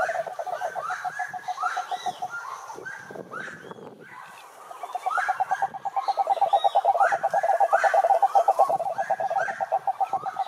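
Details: Cururu toad chorus, Rhinella marina, from a lake in Brazil's Atlantic forest: a low rattling trill that pauses briefly and then returns strongly, overlaid by frequent short rising calls from other animals.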